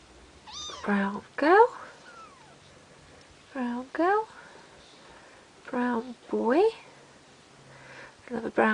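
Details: Bengal kittens just over two weeks old giving high, thin meows in short bursts, each with rising then falling pitch, roughly every two seconds, while a woman speaks softly nearby indoors.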